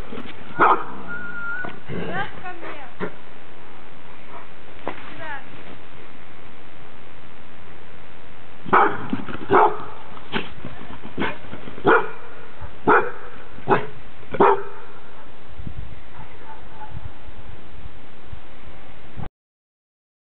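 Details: Ten-month-old male Clumber Spaniel in Moscow, 2009, barking while guarding his territory: scattered sharp barks early on, then a run of about eight loud barks spaced roughly a second apart, fading to quiet, with constant background hiss.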